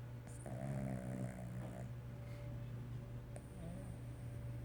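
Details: A sleeping Cavalier King Charles Spaniel gives a rattling, harmonic snore lasting about one and a half seconds, then a softer snore near the end, over a steady low electrical hum indoors.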